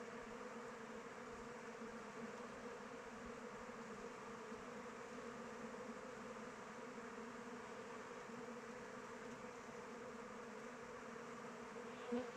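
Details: Honey bees from a beekeeper's own hive flying around it in open weather: a dense, steady hum with bands near 200 and 500, broad and unbroken, one brief louder buzz of a close bee passing near the end.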